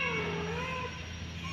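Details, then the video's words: Mother cat, in a panic while searching for her kittens, gives one drawn-out meow that dips and then rises slightly, lasting under a second over a steady low hum. "kucing panik mencari anaknya"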